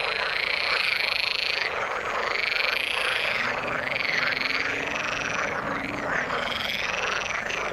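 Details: A crowded frog chorus in the water, with rising-and-falling croaks repeating in quick succession, a few louder bright calls standing out over the steady mass of callers.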